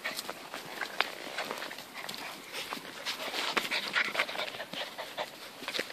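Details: Dogs at a friend's farm, a whippet romping with kelpie puppies: rapid, breathy panting and scuffling in quick, uneven bursts, with faint whimpers and outdoor rural background.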